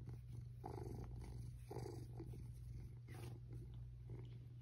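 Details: Domestic cat purring happily while being petted in bed; steady low rumbling purr throughout with soft rustling of bedding and touches.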